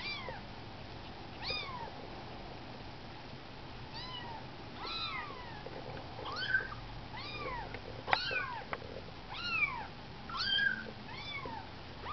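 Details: Nineteen-day-old kittens out of the nest for their first walk, calling with a steady series of small rising-and-falling squeaky mews, often two or three overlapping, over faint low background hum.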